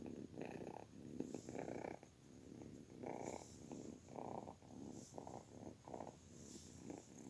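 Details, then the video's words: Rough, vibrating purr of a kitten, swelling pulses close together, with a few brief quiet gaps and a light hiss behind. "Cutie kitten's sound effects"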